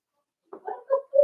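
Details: A Cavalier King Charles Spaniel puppy, four weeks old, in the indoor pen with Daisy's litter, gives short squeaky yelps: three brief tonal notes within about a second, the last held slightly longer and steadier.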